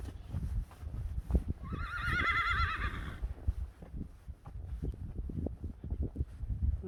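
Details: Friesian horse at a stable where a young mare, Geertje, is being brushed: a high wavering whinny with stacked harmonics lasting about two seconds, over low thumping hoof and handling noise.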